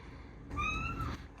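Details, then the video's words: Blind pet cat asking to ride on a person's shoulder gives one steady tonal meow lasting about six tenths of a second, with faint room rumble. "Talking Blind Cat Needs a Shoulder Taxi"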